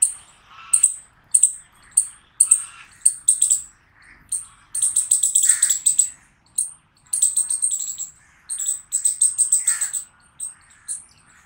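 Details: Rapid chipmunk chirps, high and sharp, first spaced singly then bunched into fast stuttering trills of several notes before slowing again; little other sound.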